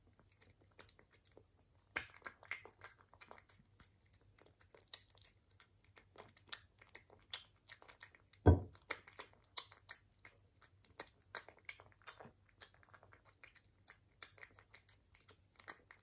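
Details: Chewing and crunching from a British Shorthair cat at its food, dense quick crackles of biting throughout, one sharp louder knock midway, over a faint constant low hum in a small room.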